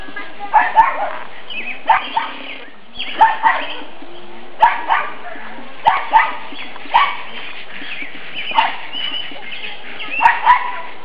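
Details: Nine-week-old black and fawn pug puppies romping around a yard in spring sunshine; short, sharp yips and barks come every one to two seconds over a faint steady background.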